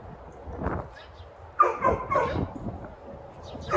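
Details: Raya, a mixed-breed dog at a dog training company in San Antonio, Texas, gives a few loud, rough barks in quick succession, with faint speech in the background.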